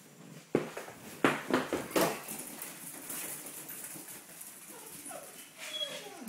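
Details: Five-week-old red rust Doberman puppies indoors give a cluster of sharp yips across the first two seconds, then soft falling whines near the end, with shuffling and faint room noise between.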